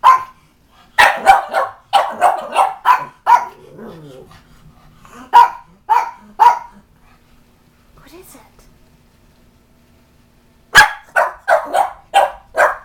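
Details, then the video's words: Bugg puppy (Boston Terrier/Pug mix, reverse brindle) barking in alarm at a cat statue at home, a pug nearby; rapid bursts of harsh barks, quieter talking and murmurs in the middle, then another fast volley at the end. "my Bugg puppy (Boston Terrier/Pug mix) REALLY does not like this Cat statue!"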